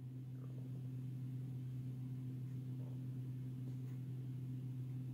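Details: Steady low electrical hum with a faint overtone throughout, plus soft background noise; no animal calls.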